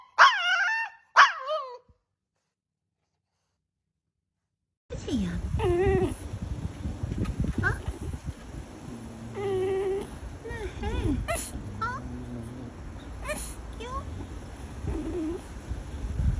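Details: Pet dog 'talking' in a funny compilation: after a brief high call and a few seconds of silence, a run of varied moaning, rising and falling vocal sounds with short barks and growls, mixed with human speech.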